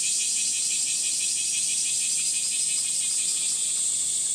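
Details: Cicadas singing on a hot 37°C July morning in Gifu Prefectural Centennial Park, Japan, woodland walk: a dense, loud, high buzzing that throbs quickly and evenly, about three pulses each second, without a break.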